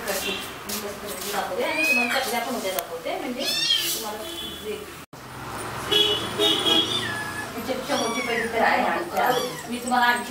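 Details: Kittens giving several thin, high-pitched mews that arch up and fall back, spaced a few seconds apart, with human voices talking almost continuously over them indoors.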